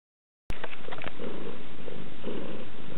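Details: Domestic cat Yasmina purring: after half a second of silence, a steady low rumble with a few sharp clicks early on, swelling in soft bursts as she breathes in and out.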